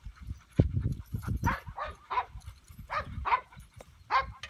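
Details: Two-year-old male English Pointer of Elhew lines, a started hunting and field trial dog; short, rough bark-like bursts come about every half second to second, over low thumping and rumbling noise.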